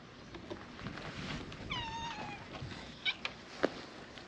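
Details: Free-roaming cats crowding into a fishing-town back alley for a large cat gathering; a single drawn-out meow, slightly wavering then falling, over steady low background hum, followed by a few sharp clicks and taps.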